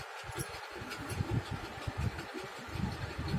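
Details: Low engine-like rumble and mechanical noise, with no clear animal sound. Only a steady low hum with irregular thumps can be heard.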